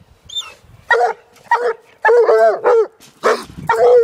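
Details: A young Walker hound, a year old, bays at a raccoon held in a cage. Irregular, strained yelping bawls with wavering pitch, some short and choppy, with brief quiet gaps between them.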